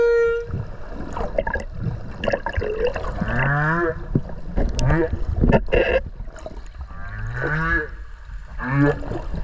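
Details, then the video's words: Underwater whale voice recorded near Okinawa while swimming with the whale: a short steady tone, then a series of groaning, pulsed calls with wavering harmonic bands, rising and falling, over gurgling water and bubbles. "クジラの鳴き声 〜海の中の神秘のメロディ〜"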